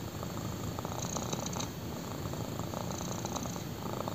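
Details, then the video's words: Black kitten lying on a person's thigh, purring; constant deep vibrating rumble with soft pulsing rhythm of inhale and exhale, close and intimate. "BLACK KITTEN PURRS WHILE LYING ON MY THIGH!"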